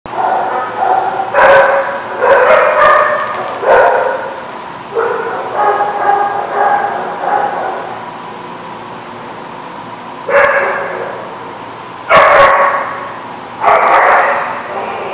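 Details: Dog barking at The Barking Lot, recorded 8/12/16: loud, harmonic barks come singly and in quick clusters of two or three, with a run of shorter yaps mid-way and longer gaps later, over a low background hum.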